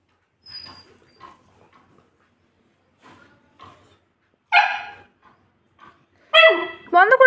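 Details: Saint Bernard named Golu, shut in a room alone while people were away, whimpering with soft scattered sounds, then two loud rising, wavering whines as a person talks to it soothingly in Bengali.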